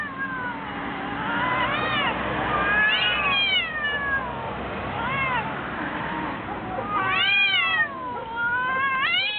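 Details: Two cats fighting: overlapping wavering yowls that rise and fall in arching sweeps, several bursts close together, over a rough noisy background.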